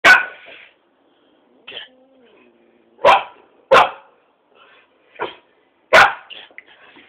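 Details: Pet dog facing a cat, giving sharp, loud single barks spaced irregularly, with a short rasping bark at the start and softer yips between, separated by silent gaps.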